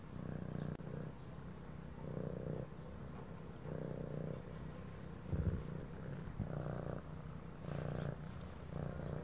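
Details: A cat's throat purr, deep and continuous, swelling and easing in rhythmic waves with each breath, while gentle background music sits faintly underneath.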